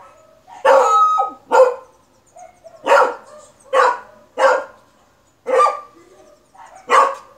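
A beagle barks loudly in short, sharp bursts, some doubled, about once every second or two.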